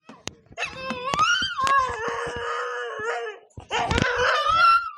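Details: Siberian husky kept in a village, in her heat period, howling as she does every night: two long wavering, harmonic-rich howls that rise and bend, broken by a short pause near the middle, with a few sharp clicks and knocks around them.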